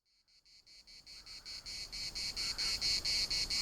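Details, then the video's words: Cicadas singing in the municipal park at Larnaca: a harsh, high buzzing broken into rapid regular pulses, about four per second, that starts faint and swells steadily louder. "CICADAS at the municipal Park Larnaca"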